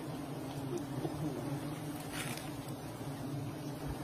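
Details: Giant honey bees found in an old forest, a dense droning hum holding low and steady, with individual bees buzzing past in short sliding tones over a faint broad rushing background.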